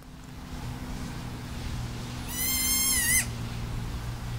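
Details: A small Alpine ibex kid at Wildnispark Zürich Langenberg, Zurich canton, Switzerland, on 17 May 2016, calling for its absent mother until tiring: one high, wavering, harmonic bleat lasting about a second over steady low hum.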